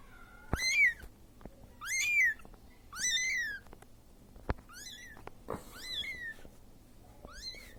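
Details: Lone Siamese kitten calling to the mother that left it: six piercing, arched meows repeated roughly every 1.3 seconds. The first three are loudest, the later ones are slightly softer and shorter. Occasional sharp clicks sound in a quiet room.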